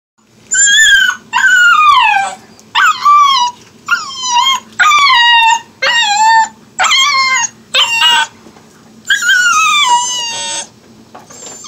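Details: Siberian Husky puppy vocalising in a long run of about nine loud howling yelps, each sliding downward in pitch with rich harmonics, separated by short pauses, with a faint steady hum underneath.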